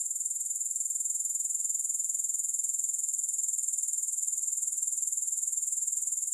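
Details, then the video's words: Steady, high, rasping insect trill credited to grasshoppers, pulsing very regularly about four times a second throughout, with no break and no other sounds. "Grass Hopper Sounds"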